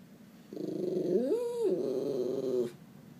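A Miniature Schnauzer gives a drawn-out, moaning whine that swoops upward mid-way, voicing stress at a cat.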